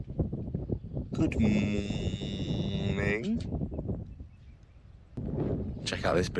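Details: On a small blueberry farm on New Zealand's Awhitu peninsula, just after sunrise on the summer solstice, 21 December 2024, a cow gives one drawn-out, rich, harmonic moo of about two seconds that ends on a short upward lift, with a man talking before and after.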